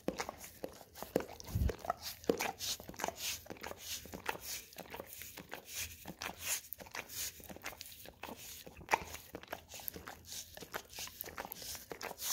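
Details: Peanut butter on an Orapup tongue-cleaning brush draws steady licking from a pet Golden Retriever in a small room; busy wet smacks and bristle-scraping clicks repeat quickly throughout, with one deep thump early on.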